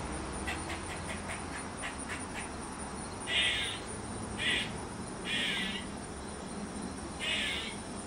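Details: Backyard squirrel first making a run of quick, faint clucking clicks, then four harsh, buzzy caws spaced about a second apart, with constant low background noise.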